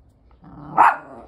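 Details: Pomeranian-Chihuahua mix dog in Osaka, Japan, acting as a toy thief, gives one short sharp bark with a brief tonal peak, preceded by a soft low rumble.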